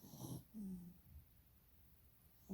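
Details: Sleeping dog with rolling eyes: a raspy inhale, then a brief low wheezy whistle, a soft breath, and the start of another snore at the very end.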